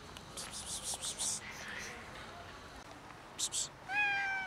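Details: Domestic cat, one of two hungry cats, giving a single clear falling meow at the end, after a stretch of rustling, soft hissy noises and a faint short mew.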